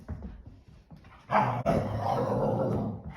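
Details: English Springer Spaniels Ember and Cole playing indoors after a day kept in by rain; a sudden rough, noisy growling bursts in partway through and holds steady, low and rumbling, inside a small room.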